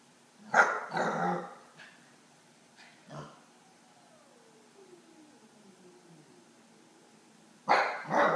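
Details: Eight-week-old Akita puppy barking at a cat on its crate: a burst of barks with a low growly edge, a lone yip, a long quiet gap with a faint falling whine, then loud barks resume.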